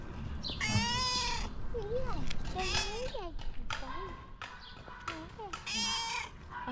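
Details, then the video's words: A female pet cat, affectionate and cute, meows repeatedly: several wavering, drawn-out cries, some rising and falling, interleaved with a person speaking to her softly. "Have you ever seen a cat meowing like this ?"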